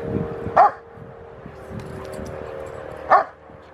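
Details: Eight-month-old Rottweiler Gent barks twice during play, two short punchy woofs about two and a half seconds apart over a steady low hum, recorded August 2, 2020.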